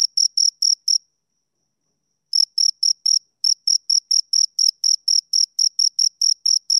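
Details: Two crickets chirping: four short, high, pure chirps, a silent pause of just over a second, then a steady run of evenly spaced chirps at roughly four per second, with no other sounds.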